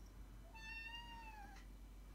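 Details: A Maine Coon or Ragdoll house cat gives one clear meow of about a second, holding steady before sliding down at the end, asking to go outside and play, heard over a low steady hum.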